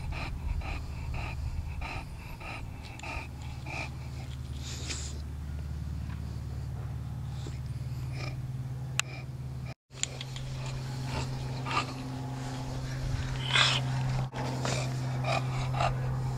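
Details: Toby the Bulldog at play in a yard, snorting and wheezing rapidly and unevenly throughout, with a constant low droning hum underneath and a brief dropout near the middle.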